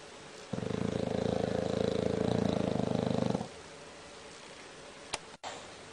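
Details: Bulldog snoring: one sustained buzzing, vibrating inhale of about three seconds, low and steady, then quiet with a short click and knock afterward.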